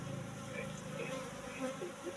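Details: Apis cerana colony buzzing in its hive box during honey harvest, about three months after relocation from the forest; a continuous low hum with stacked overtones and faint flickering accents, a person speaking close by.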